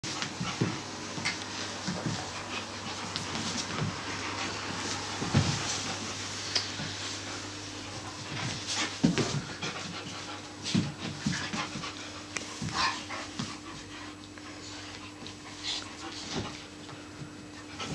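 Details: Two Siberian Huskies, an adult and a puppy meeting for the first time, play in a hotel room in Poland, panting heavily in quick, breathy bursts, with scuffling and a steady low hum behind.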